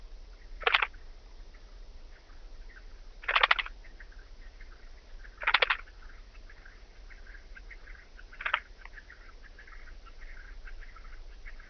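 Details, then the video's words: Oedipoda caerulescens at Mörnsheim, Germany, 14 July 2023, giving short scratchy bursts roughly every two to three seconds, four in all, each a quick crackling rasp, over faint continuous high background chatter and low hum. "Oedipoda caerulescens -- Blauflügelige Ödlandschrecke -- Blue Band-winged Grasshopper"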